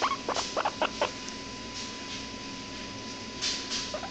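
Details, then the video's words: A hairless guinea pig gives a quick burst of short, high squeaky chirps, then a few softer ones. "Guinea Pig makes cute noises"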